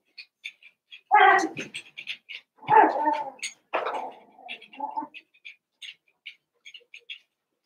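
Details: Eight Cavalier King Charles Spaniel puppies, Daisy's six and Robin's two, playing together. Three strong, wavering, whiny yaps stand out, the last trailing into a short grumble, amid a steady patter of tiny high squeaks.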